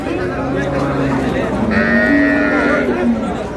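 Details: At Ambari market in Dinajpur, where cows are sold with their calves on April 20, 2026, a cow gives a long, wavering moo that bends up and down, with busy market voices around it.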